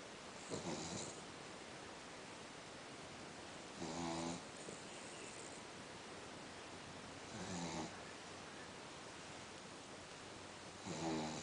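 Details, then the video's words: One of two male Cavalier King Charles Spaniels, asleep and tired after a long walk, snoring softly: four short rasping snores spaced about three and a half seconds apart in a quiet indoor setting. "Cavalier King Charles snore&dream"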